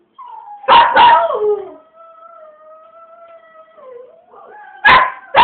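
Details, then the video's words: A singing dog gives two loud yipping barks, then a long, steady, level howl that dips and rises at its end, followed by more sharp barks. "Rainy singing."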